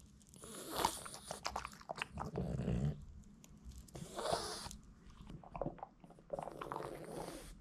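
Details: A young Boston Terrier crunches and chews hard little duck-bone dog treats in loud, irregular bites in a small room.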